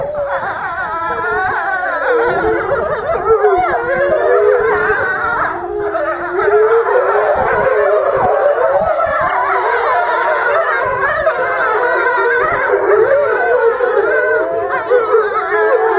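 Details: In March 2016 at Tama Zoo, several gray wolves howl lazily while lying down, long sliding wails overlapping into a wavering chorus.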